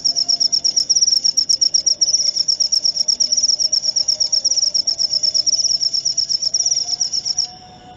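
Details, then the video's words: Shrill cricket trill, used as a lure and to chase off rats: fast, evenly pulsed high chirps that hold for about seven seconds and then stop abruptly, leaving quiet background. "Cara ampuh usir tikus dengan suara jangkrik/suara pikat ampuh jangkrik"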